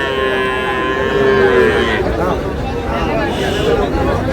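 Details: Sahiwal bull calves at a Chandpur cattle market, Bangladesh, 15 May: a sustained moo in the first two seconds, a brief second low call later, over constant market voices and bustle.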